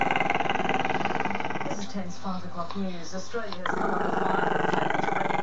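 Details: Chester, a camera-shy Maltese-Shih Tzu pup, growling at the camera: a low, buzzing, pulsed rumble that runs steadily, broken in the middle by a stretch of human voices before the growl resumes.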